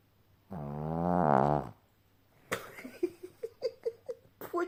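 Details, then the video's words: Sleeping dog Ponka gives one rough, rising-then-falling snore lasting over a second, followed by a person's bursts of laughter in short repeated pulses. "Пёс Понька храпит как МУЖИК."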